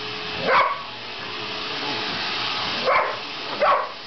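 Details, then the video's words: Household dog Sasha reacting to a vacuum cleaner: one sharp bark, a pause of about two seconds, then two more quick barks, all over the steady roar of the machine. "Dog hates Vacuum"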